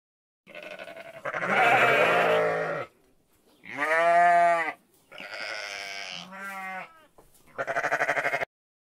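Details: Sheep bleating in separate bursts: a harsh, noisy call, a clear, strongly harmonic wavering 'baa', a thinner higher bleat, then a final rough call, with short quiet gaps between.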